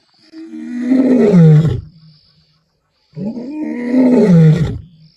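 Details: Male lion in Kruger, South Africa, recorded 11 April 2025, giving two long, powerful roars about three seconds apart, each a deep, moaning swell that rises then slides lower before cutting off, with a faint insect hum in the background.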